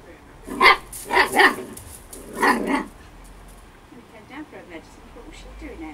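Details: Storm, an 8-week-old Husky puppy, over playful and having fun: a few high, short yappy barks in quick succession, then quieter squeaky yips, with a person talking nearby.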